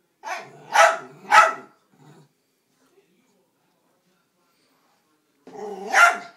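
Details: Dachshund named Bandit barking at a vacuum cleaner: a quick pair of sharp barks near the start, then a long silence before a final harsh bark with a growly undertone.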